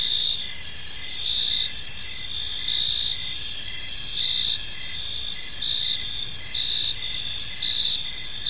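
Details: Park crickets at evening give a constant high-pitched chirping chorus, pulsing rhythmically roughly once a second, with soft environmental noise in the background.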